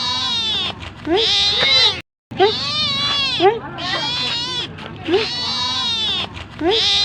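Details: Domestic cat meowing while asking for food: repeated rising-falling meows in quick bursts, several per second-long phrase, with brief pauses between series.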